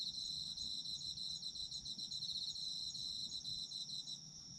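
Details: Night-like chorus of autumn insects, bright shrill trills pulsing rapidly in two stacked tones, steady throughout and easing slightly in the final half second, over quiet low background noise.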